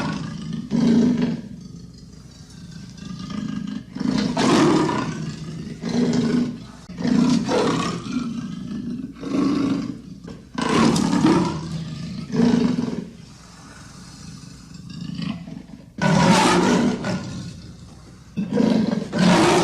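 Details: Series of coarse, grating leopard rasps, some long and some short, coming in uneven bursts with brief silences, deep and gravelly like a revving engine.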